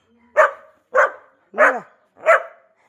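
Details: Labrador Retriever barking four times at a steady pace, roughly every 0.6 seconds, with a faint human voice under the third bark. A new puppy has joined Kavi's household.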